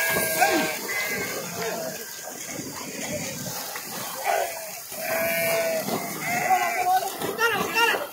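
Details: Sheep jumping into and swimming across a river alongside young goats; several wavering, nasal bleats overlap through the flock, rising and falling, mixed with people talking and splashing noise.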